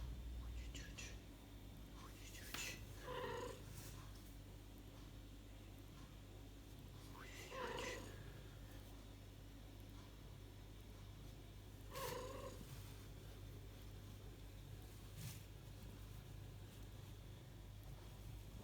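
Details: Mother cat with two tiny kittens, indoors: high thin mews with harmonic stacks, repeated about every four to five seconds, over a low steady hum and soft purring.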